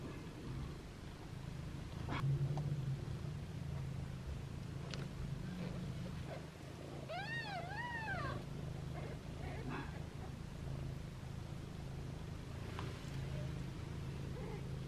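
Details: Foster kittens with their mother, meowing playfully while held in hands; a quick run of about four high, arching mews with rich harmonics comes midway, over a steady low hum and a few soft clicks and rustles.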